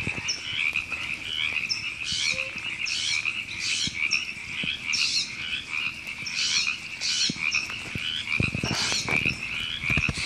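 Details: A chorus of river frogs at Temescal Canyon Park in Los Angeles, California, recorded in April 2017. Continuous rattling croaks carry throughout, with louder raspy bursts rising every second or so and a few low thumps near the end.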